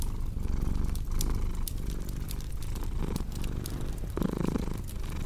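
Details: Domestic cat purring steadily, a low rumbling drone that swells and eases in roughly one-second breath cycles, mixed with sharp crackles and pops from a cozy fireplace.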